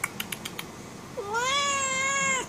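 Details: Angry female house cat wanting to go out gives one long, steady, strongly harmonic meow rising briefly then holding flat before dropping at the end, preceded by a few light clicks and a person's quiet words.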